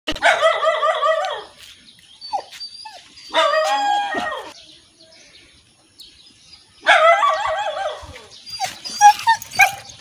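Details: A local-breed dog gives drawn-out, wavering, tonal barks in three bursts, challenging a Rottweiler puppy.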